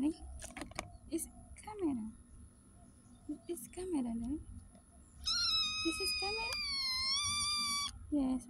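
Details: Street cat giving a loud, strained, steady meow of nearly three seconds, rich in overtones, after short cries and people talking nearby.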